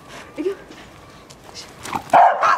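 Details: Two quick, loud barks close together from either Kotaro the Corgi or Chirol the Toy Poodle during excited play in snow, following soft Japanese speech from people calling the dogs.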